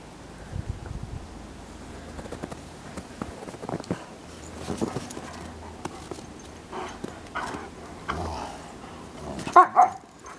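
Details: Bernese Mountain Dogs Minnie and Bear at play in snow: soft scuffling and low grumbles lead up to a sudden pair of sharp, loud barks near the end.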